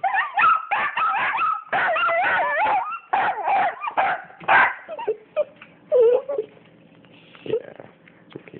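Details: Two pet dogs, Penny and Oliver, excitedly greeting their owner on arrival home. Rapid bursts of high, wavering whines and yips fill the first five seconds, then thin out into a few quieter, scattered whimpers.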